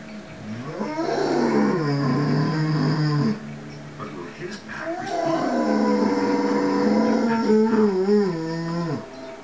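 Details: Pet mastiff joins the wolf howls of a TV documentary with two drawn-out howls, each rising and then wavering and falling, separated by a brief pause, with the television soundtrack underneath.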